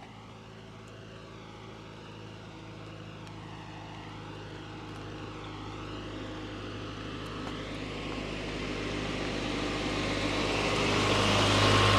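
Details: Engine hum that grows steadily louder, like an approaching aircraft or vehicle, no animal voice.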